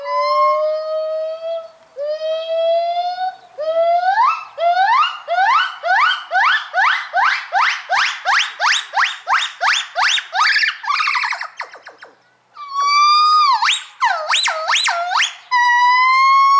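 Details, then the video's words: A pair of gibbons at Dierenrijk zoo giving their morning chorus: long steady whistled notes, then a quickening series of sharply rising whoops climbing in pitch, ending in loud swooping wails after a brief pause. "Dierenrijk, het ochtendkoor (gibbons)"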